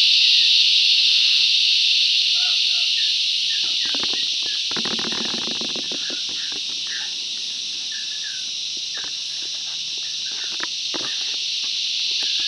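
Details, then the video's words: Cicada chorus filling the bush, a loud, steady shrill buzz that dips and swells again, overlaid by clicks, a short rattling burst midway and scattered bird chirps. "Listen to the cicadas crescendo's and diminuendo's"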